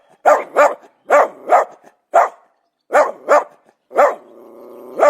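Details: Dog barking in quick pairs of sharp, loud barks with short pauses between them, then a drawn-out whining tone near the end before one final bark.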